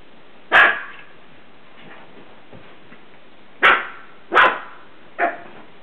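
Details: Mocha, a pet dog playing indoors on a bed, possibly at its reflection in a mirror, gives four sharp barks: one near the start, then three more in quick succession about a second apart, with quiet room background between.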